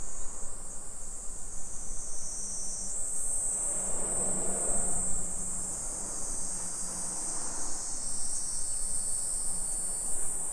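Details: Cicadas singing in summer along suburban streets of Nisshin city, Aichi Prefecture, Japan, 2 PM, 28 July 2021: an unbroken high buzzing drone that shifts slightly higher after three seconds, over a faint low hum and a soft rumble midway.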